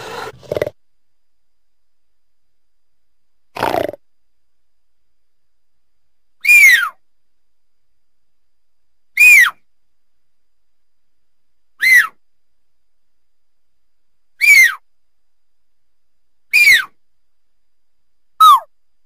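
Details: Mountain lion making short, whistled chirps that sweep quickly downward, repeated every two to three seconds, about eight in total, after a couple of low, muffled grunts.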